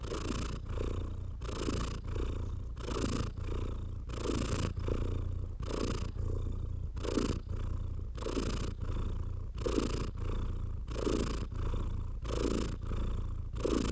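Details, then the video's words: Stroked house cat giving a steady low purr, overlaid by regular swishing strokes across the fur about every one to one and a half seconds. "Cat Therapy 4Hrs of Stroking & Purring"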